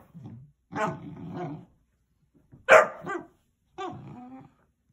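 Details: Basset Hound puppy wanting to play, mixing a drawn-out growling grumble with one sharp loud bark and a final whiny, moaning vocalization, quiet gaps between.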